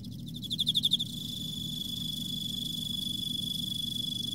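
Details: Emma field cricket in autumn: a short burst of rapid pulsed chirps near the start, followed by a steady, thin high-pitched ringing tone that continues throughout, over a low background hum.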